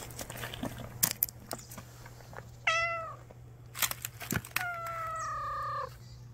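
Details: Street cat secretly hiding, watching for a chance to eat: a brief, sharp falling meow, then a drawn-out, steady meow of over a second, among clicks, knocks and a constant low hum.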